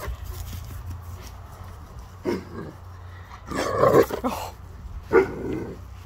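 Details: Male Rhodesian Ridgeback greeting his owner at pickup from the pup sitter, as he does every day: a few short throaty growl-like bursts with one longer, louder rumbling vocalization midway and a brief final burst, amid low background hum.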